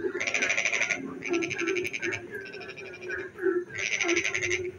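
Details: Frog song on a rainy night: three dense rattling bursts, each roughly a second long, separated by softer chuckling croaks, backed by a continuous low chorus.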